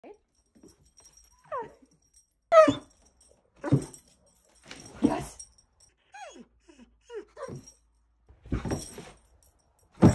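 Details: Greyhound, a male pet dog, loses his mind demanding a walk indoors: curved whiny yelps sliding up and down, scattered through the recording between short broadband bursts, with a person speaking briefly nearby.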